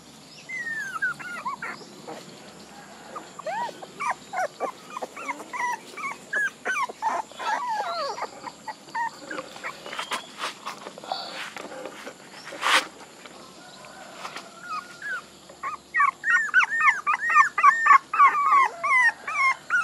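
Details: A group of puppies gives thin, high whimpers in quick runs, quieter in the middle with a few sharp knocks, then busier overlapping cries toward the end.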